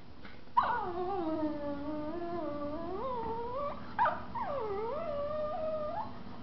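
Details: Two Miniature Schnauzers, a mother and her 4-month-old son, play in a living room; one gives two drawn-out, wavering whining moans that slide down, level off, then rise again.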